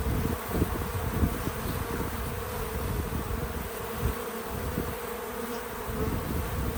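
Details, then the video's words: Outdoors on a small farm, bees at a feeder give a steady, low droning hum with flickering bursts as they move about, a continuous insect buzz over quiet background, no voices or music. "Relaxing Bees at the Feeder 🐝 | Natural Buzzing Sounds"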